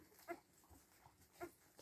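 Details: Week-old Siberian Husky puppies, two brief faint squeaky whimpers about a second apart over a soft background hum indoors.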